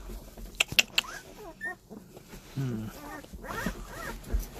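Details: Squeaky, wavering whines from seventeen-day-old puppies rise and fall in short bursts late on, after a few sharp clicks and taps, with a person speaking quietly nearby.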